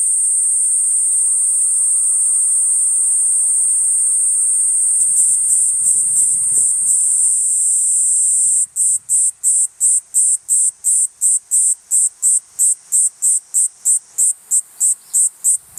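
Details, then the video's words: Song of the cicada Platypleura kuroiwae: a sustained shrill hiss that breaks after about eight seconds into rapid rhythmic pulses, roughly three per second, each a sharp burst of the same high buzz; brief low rustles midway. "クロイワニイニイ 鳴き声 【Platypleura kuroiwae】"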